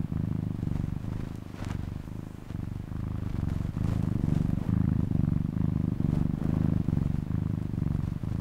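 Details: Domestic cat purring: a steady low rumbling throb, continuous across the whole stretch with rhythmic pulses about once a second as the cat breathes in and out, no other sounds standing out.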